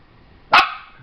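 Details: Single loud bark from a white Shiba Inu trained to bark on command, harsh broadband onset then a fading tonal tail, after a person's spoken command.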